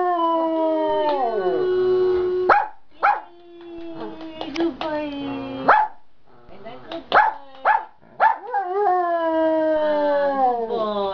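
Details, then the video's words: A giant panda sings out loud in the afternoon, in a good mood. A falling, moaning tone leads into a quieter stretch of scattered clicks and short bleats, then a loud, wavering, rising-and-falling drone returns. "Panda Practicing Singing in the Afternoon"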